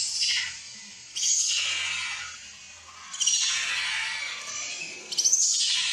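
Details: Hungry infant monkey named Leo wails at its mother for milk, drawn-out high-pitched screams of about two seconds each, separated by brief quieter gaps, with faint low background noise.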